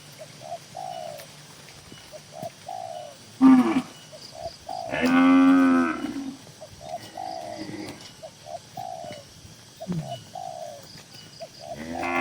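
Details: A herd of tame cows kept in a farm barn: one short low bellow, then a longer, fuller moo, with doves cooing steadily in the background between calls.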